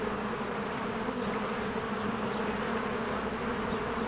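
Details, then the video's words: Many bees working at their hive in spring, flying in and out: a continuous low, even buzz, dense and unvarying, with a fizzy upper layer and no other clear sounds. "1 Hour of a Beehive ASMR"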